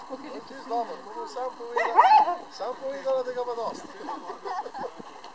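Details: Huskies at a husky meetup in Naklo on 11 March 2012, whining and yipping: wavering, rising and falling high whimpers overlapping one another, with a brief louder yelp near the middle and people's voices in the background.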